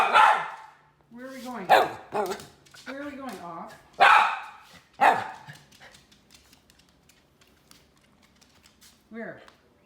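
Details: Red miniature poodle Teddy Bungoo asking for a treat; short, loud barks mixed with higher whining, yelping notes, with a person speaking among them and a lone yelp near the end.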